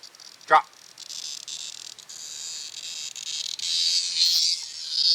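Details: Cicada buzzing while held in a dog's mouth outdoors at night; a continuous high, harsh buzz rising in intensity toward the end, with one short yelp-like sound near the start.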